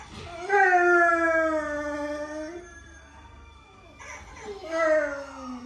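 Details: A Rottweiler howling while chatting with its owner's great niece: two drawn-out, rich harmonic howls, the first lasting about two seconds and slowly falling in pitch, the second sliding downward after a short pause.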